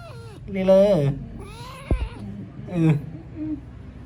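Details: A playing kitten gives short meows, one bright drawn-out call falling in pitch and a softer rising one, while people talk and laugh close by indoors.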